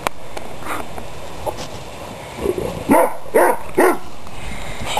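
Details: Dogs at play: after a quiet start, three short harmonic barks or yips follow each other in quick succession near the end, over a low, steady background rumble.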